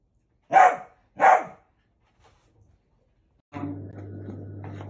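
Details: Pet Dachshund giving two sharp, loud barks in quick succession, followed by a short quiet pause and then a steady low hum of indoor background noise.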